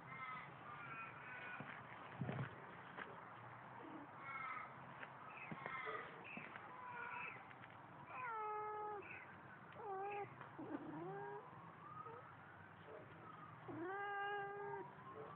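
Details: Pet cat Baba, a water-loving cat said to sing, recorded on a Samsung Galaxy phone; a long sequence of varied meows, short chirping ones first, then drawn-out wavering and rising calls, with a brief human voice.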